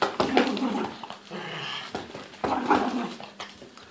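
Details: Toy poodle ragging a teddy, growling in two rough, noisy bursts of about a second and a half each, with a short quieter stretch between them.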